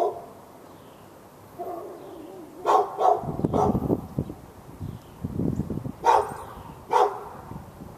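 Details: Fenced dog barking nonstop at neighbouring dogs in Raleigh, North Carolina, on a February 2012 morning; a cluster of three barks, then two more spaced barks, with a low rumbling background noise between them.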